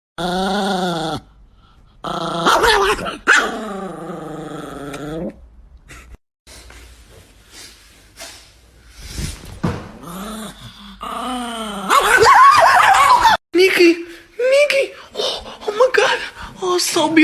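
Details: Chihuahua growling and barking in a playful scuffle, harmonic whining growls rising and falling in long bursts, then sharper yips and barks near the end, with short quiet gaps between.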